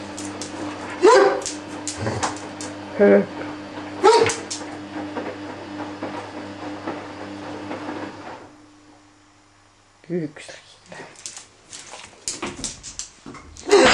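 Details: Ibizan Hound, male, just awake and wanting something, gives three short whiny yelps in the first few seconds over a low hum. Silence follows, then clattering and knocking noises.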